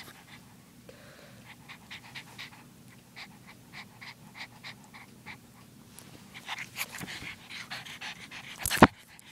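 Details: Rapid rhythmic panting from a young female pug, short breathy pulses repeating steadily and growing louder toward the end, closing with one sharp bump.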